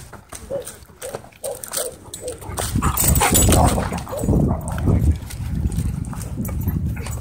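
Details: Dogs showing aggression at a dog park: a burst of low, rough barks and growls, irregular and overlapping, with people's voices mixed in and music in the background.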